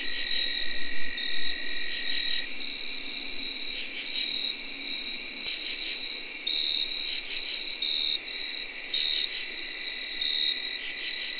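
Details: An unbroken high whirring trill comes from tree crickets in early October 2021. A lower continuous tone fades after a few seconds, and repeated short pulsed phrases from other insects punctuate the chorus.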